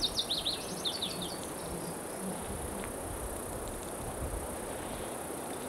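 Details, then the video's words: Cicada chorus from 26 June 2013 including Platypedia putnami and Okanagana bella and an unknown circular-saw-like singer: a continuous shrill high buzz, with a burst of quick stuttering mid-high chirps in the first second and low background rumble. "unknown cicada (?) sound"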